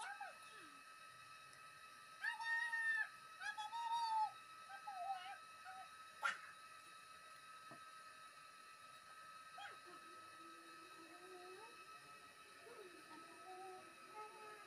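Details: Stray tomcat named La Ganas, living in a residential alley and shy of people, being fed; several drawn-out mid-pitched meows in the first four seconds, then softer, wavering calls later over a steady background hum.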